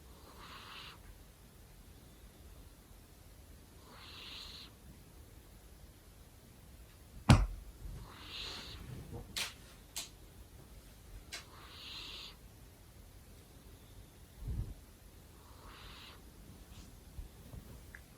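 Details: ['Snoring from a sleeping male house cat indoors: soft, hissy breaths about every four seconds, steady and gentle, broken by a few sharp clicks and knocks.']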